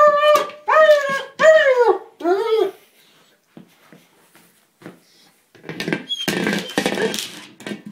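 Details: Frustrated German Shepherd attacking a small buoy he cannot puncture. Three loud, falling whines in quick succession, then a quiet gap with faint taps, ending in noisy rustling and scuffling as he handles the toy.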